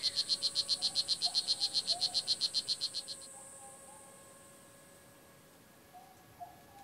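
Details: Oophaga pumilio, the blue jeans poison dart frog, at Kahka Creek Rainforest Preserve, Nicaragua, gives a quick even series of high clicking pulses, roughly four per second, for three seconds, then falls silent over a quiet background with faint lower whistled notes and a steady hum.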